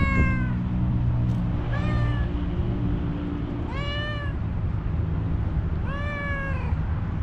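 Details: One-eyed tuxedo stray, angry and hungry, meows three times in a row at roughly two-second intervals, each call long and slightly bending downward, with a faint earlier one, all over a heavy low hum.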